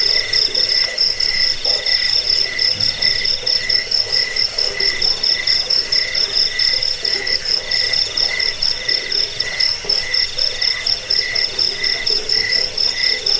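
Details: A cricket chorus recorded for chasing off rats, helping sleep and teaching cage birds: dense, high, trilling chirps repeat around twice a second over a persistent ringing drone, continuing throughout.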